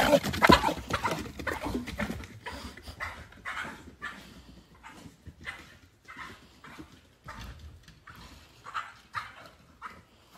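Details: Pit bull screaming with delight before a swim: loud ragged screams at first, then a long series of shorter high whining yelps at an uneven pace, slowly fading.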